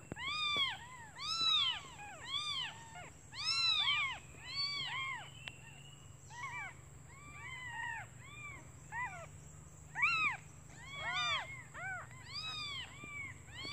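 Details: Newly born kittens, hungry, calling their mother while she is out looking for food; clusters of short, high arched mews from several kittens, bursts and pauses alternating, over a low background hum.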